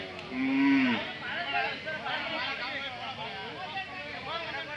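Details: At the weekly Jodugatte cattle fair in Turuvekere taluk, Tumkur district, Karnataka, a Hallikar animal gives one loud, steady moo lasting about half a second, falling at the end, followed by busy market chatter and voices.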